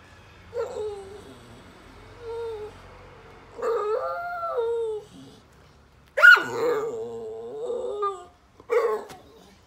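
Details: Adopted rescue Ridgeback and Staffordshire Bull Terrier cross, a female born 2012, bored and seeking attention while lounging on a sofa at home, giving drawn-out moaning whines and howl-like groans in several separate bursts, some rising into sharper yips.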